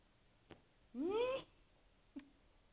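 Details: A domestic cat gives a single clear meow while being coaxed to play indoors. The call is drawn out and rises in pitch over about half a second. Two faint soft clicks come before and after it, in a quiet room.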